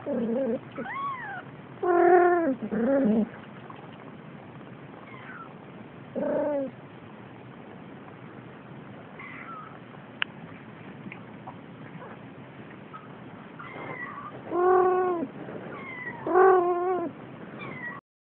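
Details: Male Siamese kitten aged four weeks, playful and waving its paws: scattered bursts of high arched meows, a cluster at the start, a lone cry midway, then two loud rising-falling meows near the end, separated by long quiet gaps.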